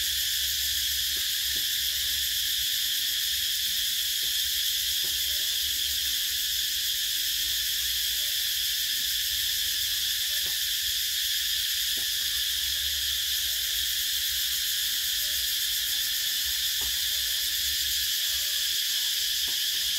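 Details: In summer, cicadas keep up a steady, piercing electric buzz, level throughout, with occasional faint taps and a low background hum.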